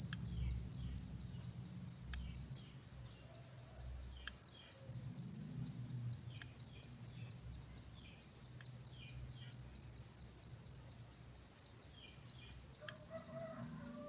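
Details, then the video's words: Cricket chirping, used as a master recording to teach songbirds and also to repel rats: loud, shrill pulsed chirps repeated about twice a second in a very regular rhythm, with faint low murmuring in the background. "suara jangkrik"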